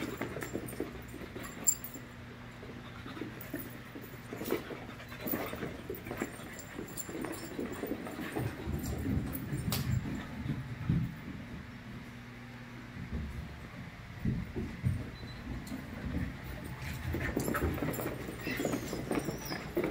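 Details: Five-month-old puppies romping together in a play group, giving low rumbling growls and panting bursts that come and go through the recording, with scuffling noises between louder spells.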